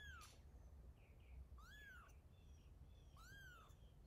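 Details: A mother cat moving her kitten, with three thin, arching mews roughly every one and a half seconds, fairly faint against a low background rumble and a few faint chirpy sounds.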